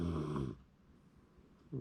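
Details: Sleeping Shiba Inu snoring, filmed January 2024: a loud raspy low snore for half a second, then near silence before the next breath begins.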